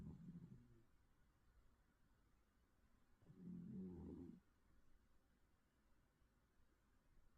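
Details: A sleeping cat snores with soft, low rumbling breaths, one brief at the start and a longer, louder snore partway through, otherwise quiet room hush.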